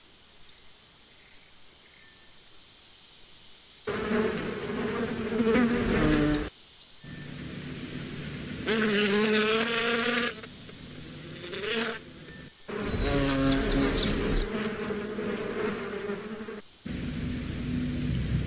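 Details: Bees pass close by in several long, droning buzz bouts separated by brief gaps. The hum rises and falls in pitch as each insect moves. Faint high chirps sound in the quieter opening.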